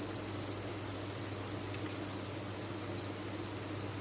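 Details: Crickets on a farm fill the air with a bright, sustained high trill from many callers at once, steady and seamless, above a low background hum.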